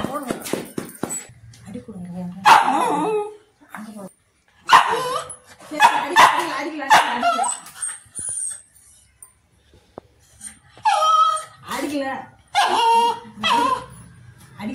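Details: A white Pomeranian gives sharp, high-pitched barks in quick bursts as it sees its owner in apparent risk, with human voices mixed in.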